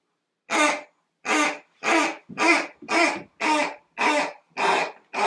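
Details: Valeck, a Great Dane, on his first birthday, 10/6/2014, among presents: a steady run of short, breathy, noisy barks, about two per second, evenly spaced with clean gaps between them.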